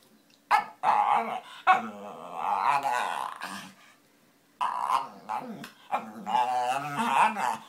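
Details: Pet dog making funny noises while pulling faces, heard as harmonic whining, groaning vocalizations in bursts with wavering pitch, a pause near the middle, then more drawn-out moaning.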